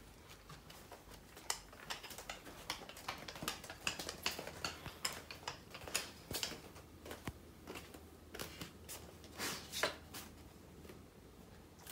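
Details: Indoors in a small room, a Siberian husky searches the floor for dropped food after eating; sharp irregular clicks and taps, like claws on flooring, repeat throughout with a faint low hum, no animal voice.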